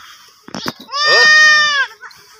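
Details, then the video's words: Baby goat giving a single drawn-out, high harmonic bleat lasting close to a second, steady then slightly falling, preceded by a few short clicks and handling noises. "Baby goat making the cutest noise"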